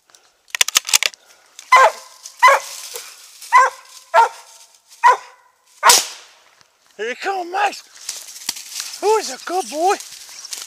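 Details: Squirrel hunt in South Carolina with Max Pine Knot, a Treeing Mountain View Cur about three years old: a run of evenly spaced sharp barks, then wavering whining yelps and rustling toward the end.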